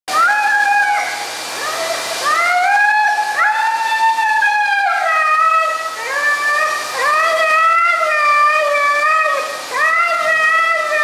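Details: Siberian Husky howling dramatically during a bath: long, wavering, harmonic-rich howls rising and falling, sliding between notes in drawn-out phrases every one to two seconds, with a faint hiss of running water behind.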